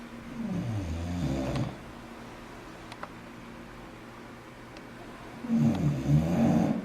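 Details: An English bulldog in Taiwan snores in two long, deep, rattling bursts separated by a quiet pause.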